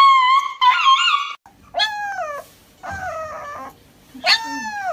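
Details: Dog receiving an injection gives four drawn-out, high whining cries, rich in overtones, several sliding downward in pitch at their ends, separated by short pauses with faint low background sounds.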